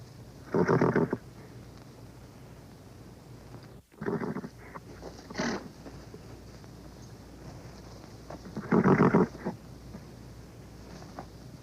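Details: Old horse recording with short, coarse, low snorting bursts: a strong one near the start, a cluster of weaker ones mid-way and another strong burst near the end, over steady tape-like hiss.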